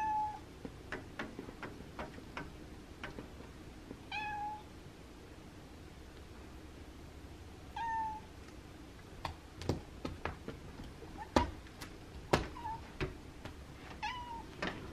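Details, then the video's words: Abby the house cat pleading to have the window opened on a cooler, windy Monday, giving five short meows at irregular gaps amid a run of sharp clicks and knocking taps late in the clip. "Cat begs me to open the window"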